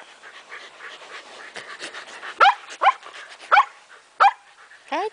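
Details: Shetland Sheepdogs playing with a ball, including Maggie, who is heavily pregnant and about five days from giving birth: four sharp, harmonic barks about half a second apart, preceded by quieter rustling and a person talking.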